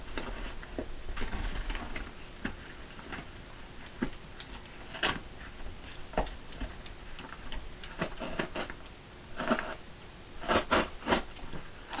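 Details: Irregular clicks and sharp tapping knocks sound against a low indoor hum, bunching into quick rattling bursts near the end. A faint steady high whine runs underneath, and no animal voice is heard.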